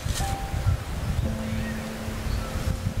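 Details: Heavy wind rumble and outdoor noise with a few faint, steady hum-like tones; no animal calls stand out.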